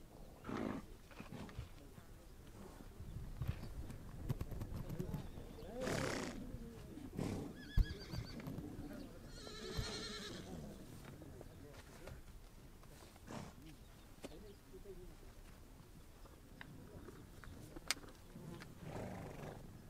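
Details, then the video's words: Horses on the Mongolian steppe, with a harmonic, wavering whinny-like call near the middle, alongside a shorter tonal call just before it, scattered hoof and movement noises, and a faint voice. "Relax listening to the sound of horses"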